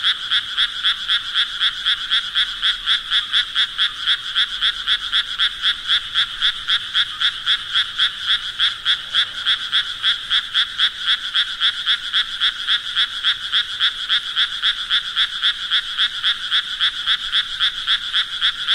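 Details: A sustained run of frog croaking: bright, pulsed notes repeated nearly four times a second at a steady tempo for the whole stretch, with nothing else audible.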